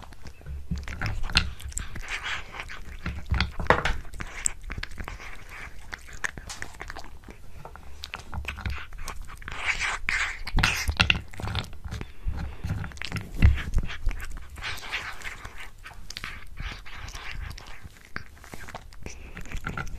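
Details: Pet cat eating a tuna mini stick indoors, close-miked: dense, irregular wet crunches and bites about three per second, with heavier thuddy chewing bursts near the middle, in a quiet small room.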